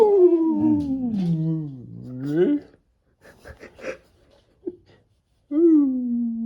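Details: Labrador Retriever named Pado talking back in an argument with its owner: a long, wavering, howl-like moan that slides downward and then rises, a short pause with soft scuffs, then another sustained, slightly falling whine.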